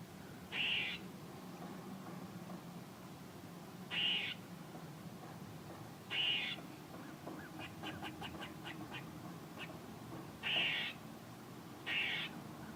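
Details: Squirrel repeating rasping, squeaky bursts every two seconds or so, broken near the middle by a quick run of short ticking chips, against faint background noise.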